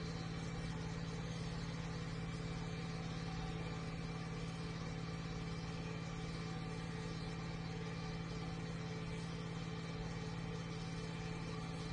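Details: A steady low engine hum, like an idling tractor, runs throughout under broad noise, with no animal sound.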